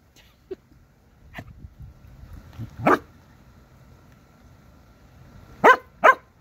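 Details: Corgi reacting to a praying mantis while a person urges it on; a few short sharp barks, one near the middle, then two loud ones in quick succession at the end, separated by quiet stretches.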